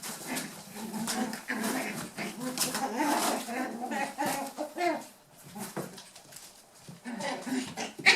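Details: Toy poodle puppies, eight weeks old and from Tami's last litter, playing together indoors: bursts of low, harmonic growling and whining sounds rise and fall over the clip, with a human voice mixed in and scuffling clicks.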